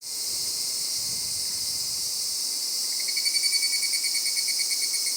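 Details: Higurashi cicadas calling after 5 pm on an evening mountain descent: a dense, high shrill insect chorus fills the background, and a clear pulsed series of rapid, evenly spaced beats, about four per second, starts midway.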